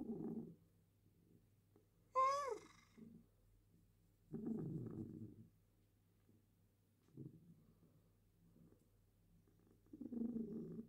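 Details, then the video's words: Female cat purring during a claw trim: soft rumbling bursts every few seconds, with one brief higher squeaky vocal sweep early on and quiet room background. "Cat purrs while having her claws trimmed"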